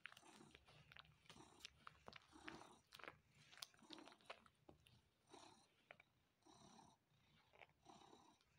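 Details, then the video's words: Male pet cat suckling on a person's arm indoors, trying to get milk: soft wet smacking and clicking mouth sounds, irregular bursts of sucking and light chewing over several seconds. "Another 2 Minutes Of Cat Suckling Arm"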